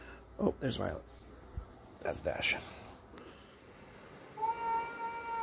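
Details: Dash, a pet cat, playing with his toy indoors; human talk in the first half, then a steady, drawn-out tonal meow near the end.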